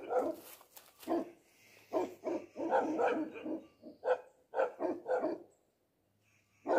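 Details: Tibetan Mastiff, known as the Bhote dog, barking hard and fast in overlapping volleys, then a few spaced single barks, a quiet gap near the end and one final bark.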